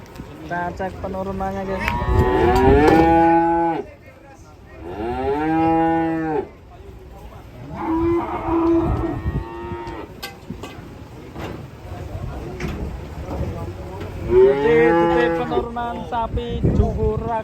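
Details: Agitated cattle giving repeated drawn-out moos, four loud bellows spread over the stretch, each rising then falling, with thumps and scraping noises between them.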